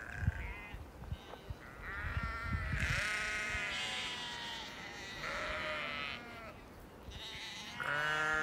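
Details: Several hungry Lincolnshire Longwool sheep and grown lambs in England bleat in overlapping bursts, wavering nasal cries of different pitches following one another almost without pause, with low thuds and rustling beneath.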